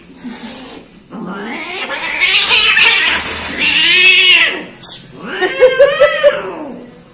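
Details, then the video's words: Cowardly orange cat giving loud, strained yowls: a rising moan, then two long arched wails, followed by a tighter, higher cry with short pulsing bursts at the end. "Coward Orange Cat Compilation | KUCING ORANGE PENAKUT"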